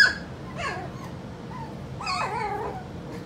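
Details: Skittles' puppies, four weeks old, whining in short wavering whimpers, the longest a drawn-out quavering cry near the end.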